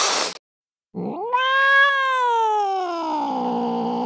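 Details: After a short noisy burst, a cat lets out a drawn-out yowl that swoops up, holds, then slowly sinks, lasting about three seconds.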